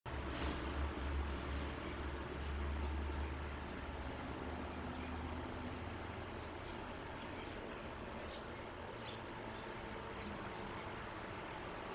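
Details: Quiet outdoor background hiss with low engine-like rumble in the first seconds and a few faint ticks, with no clear animal sound.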